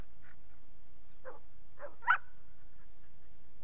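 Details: Puppies in a kennel with several short scattered barks, the loudest near the middle, between a person's spoken commands to sit.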